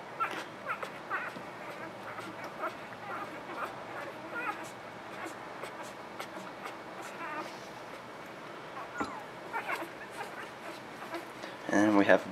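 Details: Newborn puppies in a litter give thin, high squeaky whimpers and yips in quick irregular bursts, several a second. A person talks calmly over them, naming each pup by its collar color.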